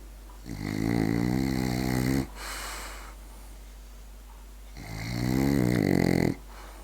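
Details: Berti, a French Bulldog, snores while asleep: two long, rasping, low-pitched snores of nearly two seconds each, separated by a quiet pause filled with soft breathing.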